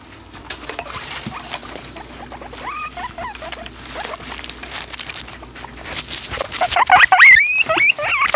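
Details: Several pet guinea pigs sniffing a small microphone; close soft sniffing and rustling, then rising squeaky whistles that grow louder and more frequent toward the end.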